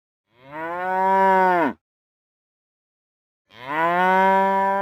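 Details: Two sustained cow moos, each steady and slightly falling at the end, loud and harmonic-rich, separated by nearly two seconds of silence; real cows recorded.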